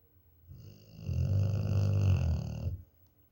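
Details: Domestic dog asleep indoors, snoring like an engine: a single deep, rattling snore swelling over about two seconds, low and buzzy with steady throbbing texture, then fading to quiet breathing.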